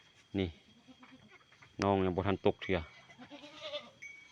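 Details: Freshly born goat kid bleating near the pen, a short bleat then a longer wavering run of harmonic bleats, with a man's voice in the background.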